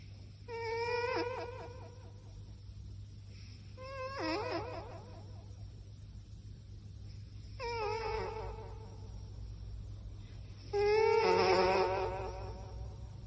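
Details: A sleeping cat snores with squeaky, wavering voiced tones, four breaths spaced roughly three and a half seconds apart, each a quivering whine over a steady low hum.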